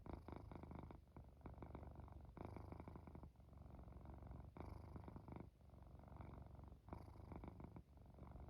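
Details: Sleepy kitty purring as it drifts off, snoring mixed in: deep continuous rumble rising and fading in breath cycles about every two seconds, the inhale bursts slightly brighter and louder.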